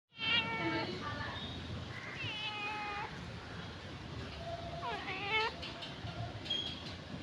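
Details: Cute domestic cat meowing several times: harmonic, wavering cries around 0.5, 2.2 and 4.9 seconds, some rising then falling, over a steady background hiss with faint high-pitched tones near the end.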